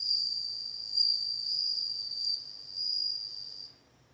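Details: Song of a bell cricket: a sustained, bright, high-pitched ringing trill with a faint upper overtone, pulsing gently in strength, lasting close to four seconds and then cutting off cleanly. No other sounds are heard.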